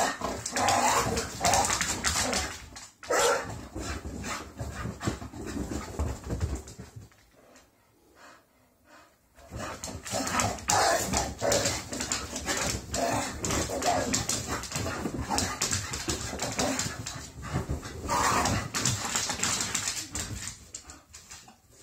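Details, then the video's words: Two English Bull Terriers greet each other in a house after their morning walk and breakfast, a daily ritual; dense bursts of growly, whining and barking noises with scuffling, a quiet pause near the middle, then renewed rough play. "Our English Bull Terriers' Morning Greeting"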